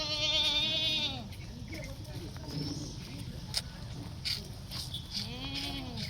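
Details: One-month-old Holstein Friesian heifer calf on a dairy farm in Sangli, Maharashtra, gives a loud, nasal, bleating moo that falls in pitch over about a second, then a second shorter moo near the end, with people talking between.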